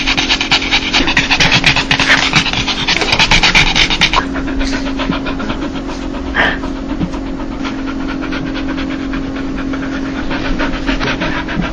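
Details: A dog laughing when happy: loud, fast breathy panting for the first four seconds, then softer, looser huffs with one louder puff midway, over a steady low hum.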